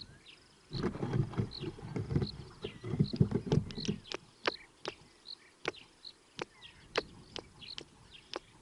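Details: A squirrel moving around on a microphone gives sharp, clicking chips, repeated two or three times a second, over low rumbling noise.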